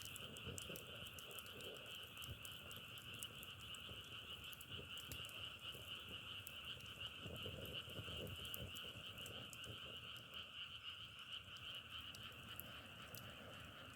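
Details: Frogs in full chorus by a wood fire: an even, ringing trill sustains without a break, with bright clicking crackles from burning logs sprinkled densely over it.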